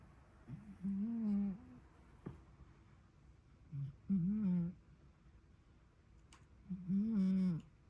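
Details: Sleeping cat snoring indoors: three humming, tonal snores, each under a second long, about every three seconds, with steady low pitch and faint overtones. A quiet room between breaths.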